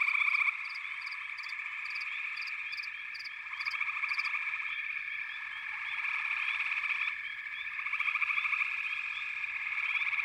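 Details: Frogs calling in a backwater chorus, pig frogs and water frogs among them: dense pulsing trills, a string of regular sharp clicks early on, and faint low knocking beneath the chorus.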